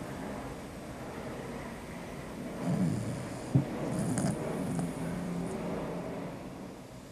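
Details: Sleeping Beagle Vicky snores deeply: one low, rasping snore swells midway with a brief sharp snort, surrounded by soft breathing and a constant background hum.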